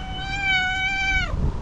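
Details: A cat gives a single drawn-out meow, steady and clear for about a second before dropping away at the end, with faint background hum.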